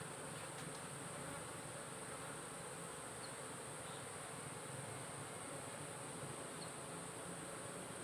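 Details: Managed honey bee colony in a beekeeping box watched by a smart apiculture sensor; a quieter, continuous low buzzing beneath a broad airy hiss, unchanging from start to finish.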